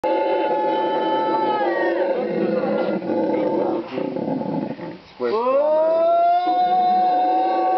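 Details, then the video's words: Howler monkey howling at Parque Ambue Ari, Inti Wara Yassi community, Santa Cruz, Bolivia, in February 2009: loud, sustained harmonic wails with a brief dip near five seconds, then a sharply rising, swelling howl that holds steady. "Howler monkey (mono aullador)"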